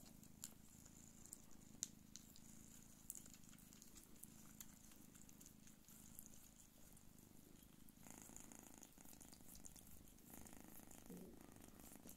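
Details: Nursing her kittens, the hairless Don Sphynx mother Pūkė Chalisa purrs in a continuous low throb, soft and even, overlaid by faint ticking, rustling and a few sharp little clicks.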